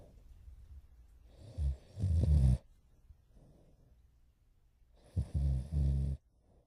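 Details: Sleeping French Bulldog puppy Morio, almost four months old, snoring deeply. Two snore bouts each begin with a short grunting catch, then a longer raspy, buzzing snore. The room is quiet between them.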